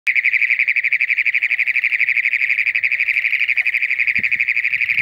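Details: Toad mating call during toad season after moisture arrives: a loud, steady, high buzzing trill of rapid evenly pulsed notes, about four pulses per second, holding one pitch throughout with no pause.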